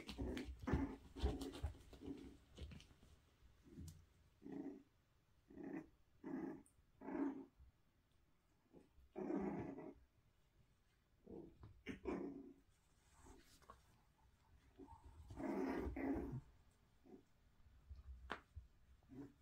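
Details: Young Toy Poodle pups at play around a balance board enrichment item, with frequent short throaty growls and yips arriving in uneven bursts every second or so in a small room.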